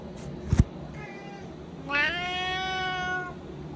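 A Siamese cat gives a loud, drawn-out meow while begging for food.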